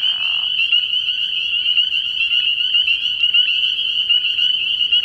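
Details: A frog pond at night in early spring, thick with spring peepers: a constant piercing high-pitched chorus of overlapping peeps, a short lower burst of sound at the very start.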